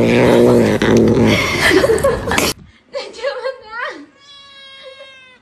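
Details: Pet cat in a funny home compilation: loud human voices and commotion at first, then a cat gives a couple of drawn-out, wavering meows, one bending up and down, followed by a held tonal whine.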